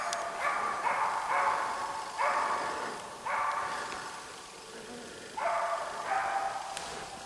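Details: East Siberian Laika Ahmarakan Vera, a Finnish champion, baying at a moose during a hunt: bursts of two or three hoarse, mid-pitched barks separated by short pauses, slightly distant in an outdoor setting.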